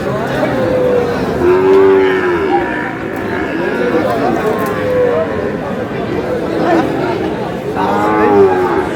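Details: Sahiwal bull calves, five to six months old, at a cattle market in Noakhali, Bangladesh; three drawn-out, tonal moos at roughly two, five and eight seconds, set against steady crowd chatter and bargaining voices.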